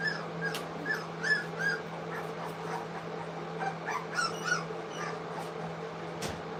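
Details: English Cocker Spaniel puppies, three weeks old, feeding on food for the first time at a kennel; brief high-pitched whimpers and squeaks come in loose clusters against a constant low hum.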